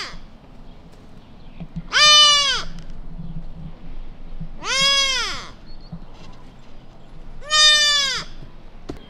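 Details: Lost newborn whitetail fawn crying out for mama deer in a suburban neighborhood, three drawn-out nasal bleats spaced about three seconds apart, slightly arched in pitch, with faint background hum.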